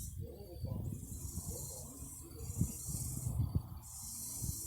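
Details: Singing cicadas: a continuous shrill, buzzy high-pitched drone that swells louder near the middle and again toward the end, over low rumbling thuds and handling noise.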